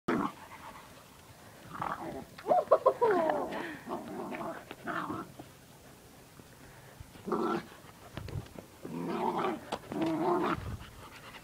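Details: Five-month-old Bichon puppy playing gently with two Sprocker puppies aged four and ten months: rough bursts of playful growling and snuffling in several spells, a high squeaky whine early on, quiet gaps between.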